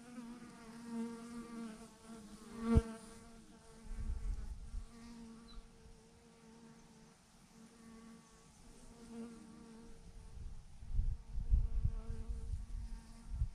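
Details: A massive clump of thousands of honey bees on a branch hums loudly in a steady layered drone, with a sharp bump near three seconds and gusty low rumbles later.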